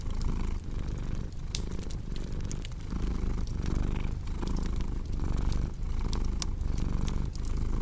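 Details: A cat's deep, continuous purr pulses with each breath roughly every one to one and a half seconds, while a crackling fireplace adds scattered snapping clicks on top.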